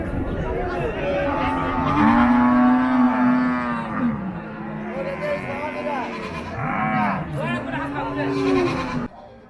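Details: Cattle at Paragram cattle market on 7 December 2024 give deep, prolonged moos, one swelling for about two seconds, followed by shorter lows, amid loud crowd voices before the sound cuts off near the end.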